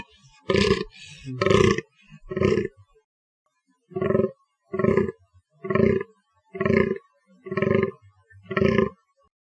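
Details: Fallow deer giving deep, hoarse, belching groans, three in quick succession, a pause, then seven more at a steady pace of about one per second; nothing else is heard.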